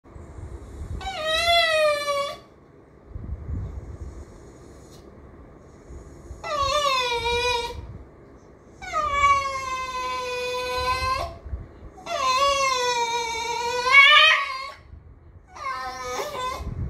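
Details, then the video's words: Miniature schnauzer, a very expressive pet dog indoors, trying to "talk" or complaining: five long drawn-out whining howls, each one to two and a half seconds, wavering and bending in pitch, with short quiet pauses and faint low thumps between. "Anyone else's DOG "talks" like him?"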